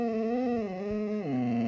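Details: Siberian Husky 'talking' indoors with a clear, tonal, howl-like moan that swells and wavers gently, then drops sharply in pitch near the end and holds low, rich in harmonics and with no other sounds.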